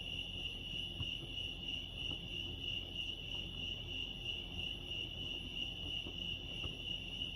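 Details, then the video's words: Crickets at Lake Arrowhead, California, produce a clear, steady, rapidly pulsed high trill at a single pitch, with only faint low rumble and occasional soft taps behind it. "Serenity sounds crickets chirping lake arrowhead"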